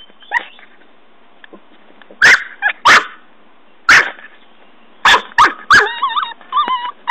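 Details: Norfolk Terrier puppy Ben digging by a tree; a handful of separate sharp barks, then wavering high whines and squeaky yelps near the end.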